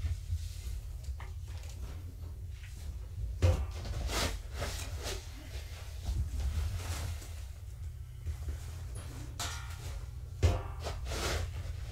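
Indoor knocks, clatters and rustling over a steady low hum, with no animal voice heard.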